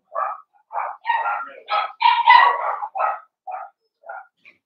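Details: Young blenheim Cavalier King Charles Spaniels from a New Year's litter of five, indoors in their pen on pick-up day: a rapid string of about a dozen short, tonal yips rising and falling, almost continuous.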